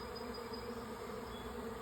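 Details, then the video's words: Swarm of honey bees moving into two stacked nuc hives, May 24; an even, continuous hum of many wings, with a brief higher whine of a single passing bee. "Honey Bee Swarm # 2 - Bees moving into a hive"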